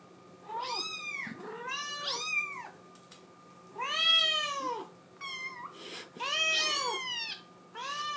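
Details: Young Scottish Fold crying to be let outside, indoors: loud, rapid high meows with bright harmonics, some rising then falling, about every second, with brief pauses between bursts and a low constant hum beneath.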